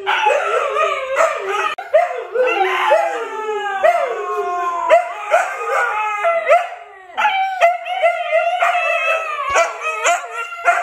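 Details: Siberian Huskies Luna, Gizmo, Arya and puppies in a howling session: long falling howls and quick rising yips overlap, a brief lull near seven seconds, then steady sustained howls resume.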